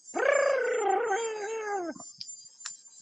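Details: A kitten gives one long, drawn-out meow of nearly two seconds, held steady and then sliding lower, oddly bird-like in tone, called the weirdest meow; listeners suspect a wild cat kitten. A few faint clicks follow.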